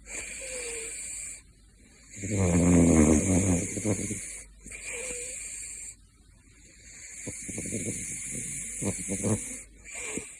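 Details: Caracal Gosha, known as Big Floppa, snoring in his sleep: rough rattling breaths roughly every four seconds, each lasting about two seconds, with a steady high electronic hum throughout.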